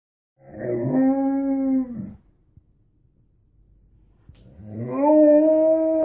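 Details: Pet Alaskan Malamute lying around indoors, howling because it wants to play: two sustained, tonal howls of about one and a half seconds each, the second louder and rising, separated by a quiet pause.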